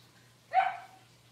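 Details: Six-week-old Cavalier King Charles Spaniel puppy indoors in a puppy pen, during deworming and toenail trimming, gives one sharp, brief yelp lasting about half a second that starts high and tails off, against a faint steady hum.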